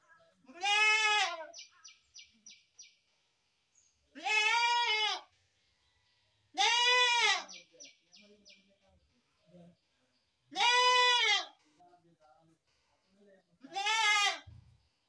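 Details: Goat bleating, five loud harmonic bleats spaced roughly every three seconds, each about a second long and slightly arched in pitch, with faint higher distant bleats and soft background noises between.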